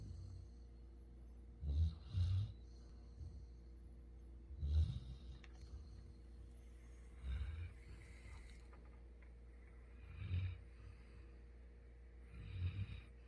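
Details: Sleeping Labrador Retriever Futu, a pet dog living on Jeju, gives soft, low snorts and snores. Short rumbling breaths recur every two to three seconds, fainter than room hum, with faint high hiss around them.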